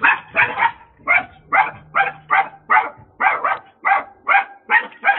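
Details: Little dog in the United States barking at a delivery driver, a rapid run of high, sharp barks, some in quick pairs, roughly three every second, with a faint steady hum underneath.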